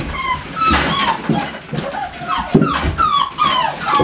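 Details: American Staffordshire Terrier at a breeding kennel, giving high whistled whines and short yelps that slide downward in pitch, several in quick succession, with some room noise in between.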